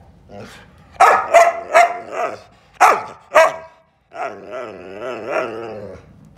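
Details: A hungry, grumpy Whippet just woken up lets out a quick run of five sharp yelping barks, then, after a brief silence, a sustained wobbling, groaning grumble.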